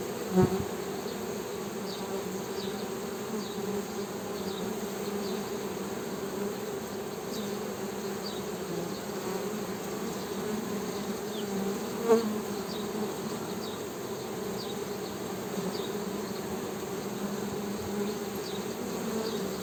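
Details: Steady honey bee drone lasting about twenty seconds, a low buzz with a brighter overtone, with one knock at the start, a brief louder tap midway, and scattered faint high chirps.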